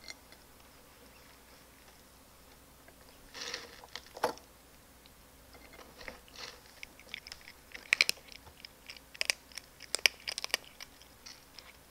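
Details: Crisp crunching and chewing of food in a quiet room, with no animal calls. Sharp clicks and bites come in uneven bursts against a faint, steady background.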